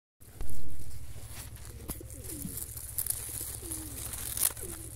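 A field cuckoo bumblebee hums with a deep, even buzz that holds steady throughout. Soft, curving coo-like calls, probably from a dove, sound faintly in the background.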